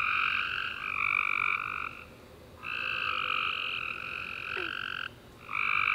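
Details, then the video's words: Tree frogs singing at night after a warm summer rain: loud buzzy trills lasting one to two seconds, separated by quiet gaps, two callers overlapping, a single faint click near the end. "Tree Frog Chorus After A Warm Rainy Day"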